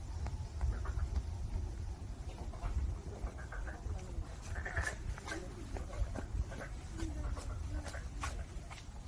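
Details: Black-spotted pond frog calling with short, nasal, bleating croaks in irregular bursts through the middle of the recording, set against a heavy, steady low rumble like wind or handling noise.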